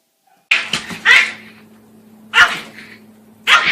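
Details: Dog indoors giving short, harsh, broadband barks: a quick double burst near the start, then two more single barks spaced about a second apart, over a steady low electrical hum.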